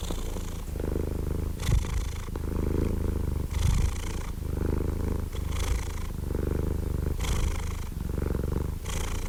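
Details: Gentle, softer cat purr: a steady low rumble with faint breathy lifts recurring about every 1.8 seconds, calm and even throughout, nothing else audible.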